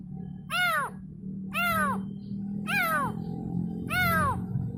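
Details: Kitten crying out for its mother: four drawn-out, bending meows spaced roughly a second apart, each clear and strong with quiet gaps between, low background hum throughout.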